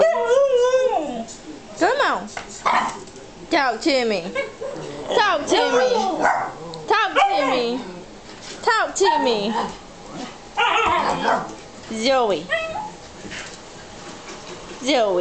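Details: Zoey, a three-and-a-half-month-old Alaskan husky, talks while Matty, a two-year-old morkie, is nearby. Rapid, wavering whines and yelps swoop up and down, overlapping a person who keeps chattering to her.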